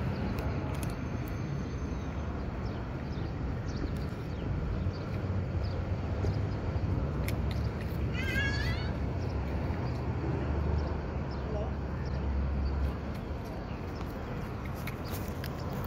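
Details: Hungry cat eating dry fish gives one short, high, rising-then-falling meow with stacked harmonics. Steady low rumble and background noise run throughout.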